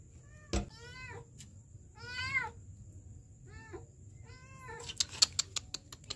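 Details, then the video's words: Kitten trapped in a sewer in Kenya, December 2023: four clear high harmonic meows, arched and slightly falling, spaced about a second apart, then a burst of sharp clicks and knocks near the end. "KITTEN trapped in the sewer"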